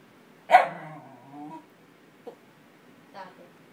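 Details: Welsh Terrier upset that an older cocker spaniel took his bed: one sharp bark trailing into a drawn-out grumbling whine, then a short yip and a soft final complaint.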